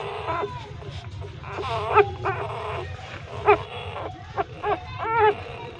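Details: Hungry newborn puppies, three days old, breastfeeding from a street mother dog inside a pipe, utter scattered short squeaks and a few drawn-out whimpers separated by pauses, with faint low rumble behind.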